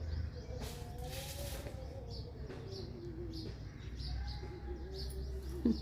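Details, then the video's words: A dog whimpers in thin, wavering whines, one drawn out for about three seconds and gently falling, then a shorter whine, over a steady low hum with brief rustles. "cute puppies"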